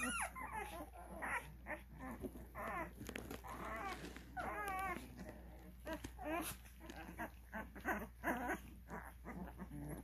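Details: Twelve-day-old Cane Corso puppies at a kennel, during early recall training, giving a dense run of high whining squeals and whimpers, many overlapping, with a steady low hum underneath.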